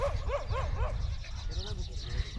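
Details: German Shepherd barking in sharp, rising-then-falling barks in a quick burst of three or four, followed by a man speaking Marathi; a low rumble runs underneath.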